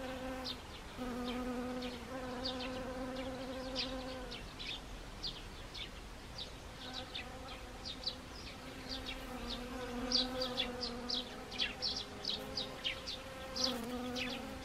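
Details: Honeybees among Siberian chrysanthemum, Gangwon Province, South Korea, in early October 2020. An on-and-off humming buzz comes and goes in passes, while quick high bird chirps repeat throughout.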